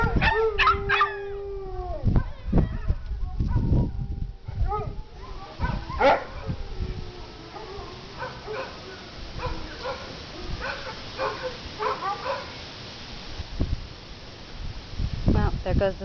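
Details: An Alaskan Malamute and Dachshunds howl together outdoors in response to a siren: long wavering tones from the Malamute mixed with higher yips from the Dachshunds trying to howl.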